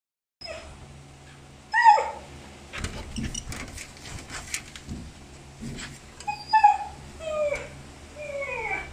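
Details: A playful agouti Siberian Husky gives high, sliding whines and yelps in short bursts.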